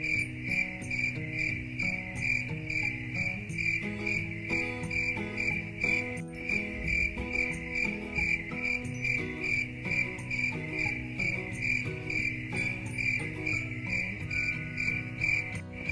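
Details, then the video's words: Calming cricket chirping: rapid high pulses repeating roughly twice a second without pause, layered over a slow instrumental melody and low plucked tones. "Cricket Chirping Sound"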